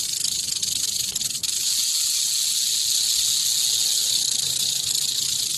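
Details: Snake hissing: a steady, harsh, airy hiss that runs unbroken for over five seconds, with a faint low hum underneath.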